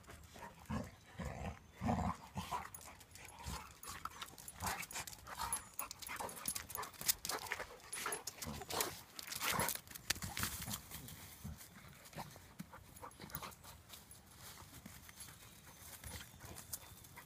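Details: Two Labrador retrievers playing, a chocolate aged two and a half and Coal at seven months; bursts of scuffling, panting and soft whimpering play noises with sharp broadband thumps and clatter throughout.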